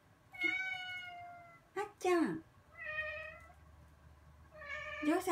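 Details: Rescued black-and-white bicolor female house cat that loves the bath, indoors at bath time, meowing back at its owner: drawn-out harmonic meows, some rising then falling, with a woman's chatty Japanese speech in between.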